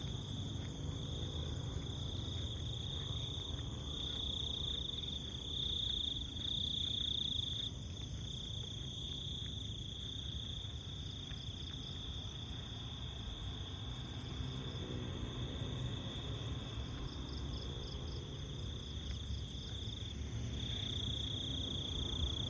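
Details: A steady, high, shimmering insect chorus, perhaps beetles and crickets, rings through the jungle at night over low rumbling footsteps of someone walking.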